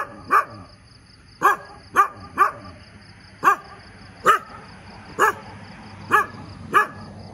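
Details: Dog barking in the morning, nine sharp barks in about seven seconds, some in quick pairs, others spaced a second apart, over a faint steady high-pitched hum.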